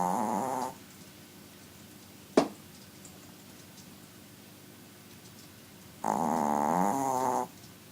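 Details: Very small pet dog snoring loudly indoors: two drawn-out, wavering harmonic snores, the first brief and the second about one and a half seconds long, separated by roughly five seconds of quiet with a single sharp click between.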